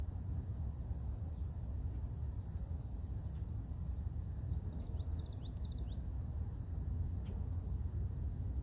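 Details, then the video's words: Cicadas singing in the morning in nature: a steady, unbroken high-pitched whine with a fainter higher overtone, a few brief faint chirping sweeps midway, over a constant low rumbling background. "Relax With Cicadas Nature | Calming Insect Sounds"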